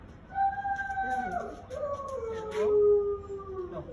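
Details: American Akita dog in Gurgaon, India: one drawn-out tonal howl or whine that holds steady, then bends and slides downward over about three seconds, with faint background noise.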